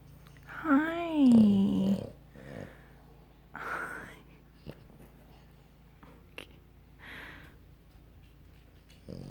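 A French Bulldog snores, opening with a drawn-out groaning wheeze, then rough, breathy snorts every couple of seconds.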